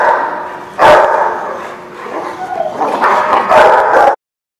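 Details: Several dogs at a dog lot on 11/4/16, a loud burst of barking near the start, a quieter stretch with a whine-like tone, then another cluster of barks before the sound cuts off abruptly.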